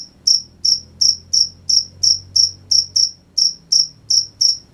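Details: Crickets heard at night, a run of bright shrill chirps at a steady rhythm of about three per second, faint low drone behind.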